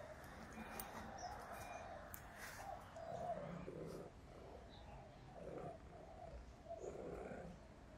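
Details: Hungry Russian Blue cat named Gaga meowing repeatedly: a string of short-to-medium mid-pitched meows at irregular intervals across the stretch, with soft household background sounds.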